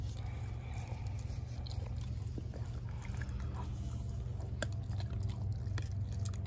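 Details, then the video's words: Wet crunching and scattered sharp bone-cracking snaps as Denali, a four-month-old American Blue Bay Shepherd puppy, eats her raw turkey neck. The bites come at an uneven pace over a constant deep background hum. "Puppy Eats Turkey Neck | ASMR"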